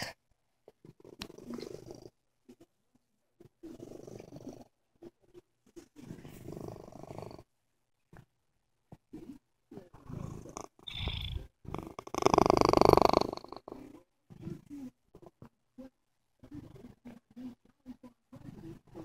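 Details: Sick cat purring softly in rhythmic breathing bursts, low and rumbling, with one louder rasping swell near the middle.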